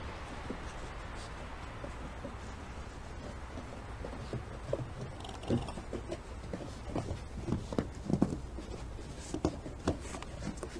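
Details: Young male raccoons playing on a deck in fresh snow call to one another with soft, low purring and cooing notes in short, scattered bursts.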